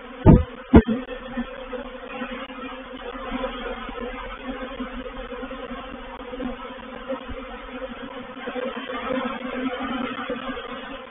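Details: Honey bees of a reproductive swarm entering a swarm trap at Painted Peacock Manor, 04/07/21. Two sharp knocks open the recording, then a continuous, slightly wavering droning hum with low layered tones.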